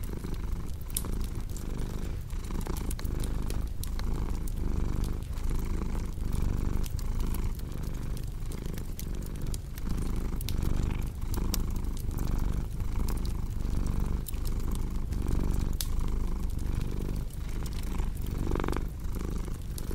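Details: Long, even purring from a cat, a low vibrating rumble rising and falling with each breath about every second, accompanied by steady crackling and popping from a fireplace.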